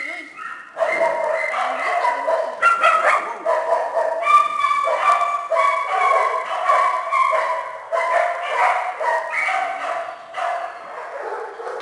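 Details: Small dogs and puppies in a shelter kennel keep up a steady mix of high yips, barks and whimpers, many animals calling over one another without pause.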